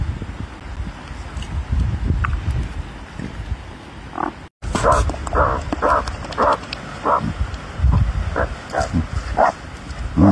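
A meerkat utters brief, rough grunts and squeaky chirps, repeated irregularly every half second or so. A low rumble runs underneath, with a short break partway through.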